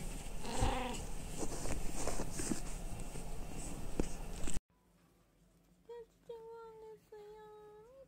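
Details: Household cat among three (tabby, Munchkin, Abyssinian), 29 February 2024, during treat feeding: after a noisy stretch of voices and clatter, a quiet gap, then a string of clear tonal meows, short then drawn out, ending with a rising lilt.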